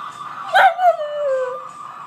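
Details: Five-month-old American Cocker Spaniel puppy howling along to the song Karma Police, which only this song sets off: a short yelp, then a drawn-out tonal howl sliding gently downward, with steady music behind it.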